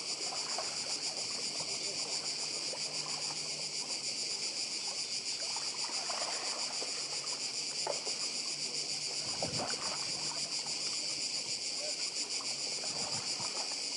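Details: Cicadas on Croatia's Badija island keep up a thick, steady high-pitched whirring buzz, layered over soft sea noise with a few brief lower thumps and swishes.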